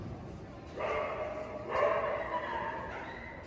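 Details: Boston Terrier, an AKC dog, recorded January 2022, giving two drawn-out tonal whines, each lasting about a second with a strong steady pitch and rich overtones, the second slightly higher and longer, over faint room noise.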